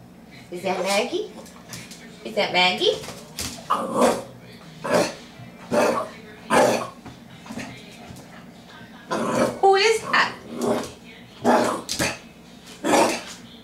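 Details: Maggie, a nine-week-old Jack Rat Terrier puppy indoors, barks at herself on first seeing her reflection in a mirror, her first bark ever: short, sharp yaps repeated roughly every second, mixed with people talking and cooing to her in a small room.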